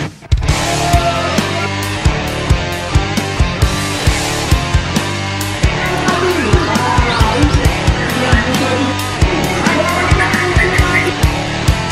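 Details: Loud rock music with heavy drums and distorted guitar fills the whole recording, with no animal sound audible.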